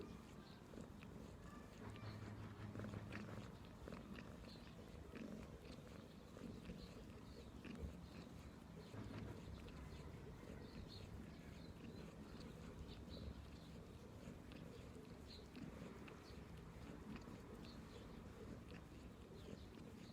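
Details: Domestic cat purring: a steady, low, rumbling vibration that holds for the whole stretch with a soft pulsing texture, faint clicks and light rustling above it, recorded close and quiet indoors.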